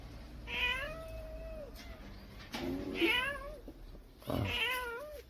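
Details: Crying kitten heard all day, with a yellow cat and a tabby around and an adult guarding the young: three drawn-out meows about two seconds apart, each sliding up then sagging down, against low steady hum.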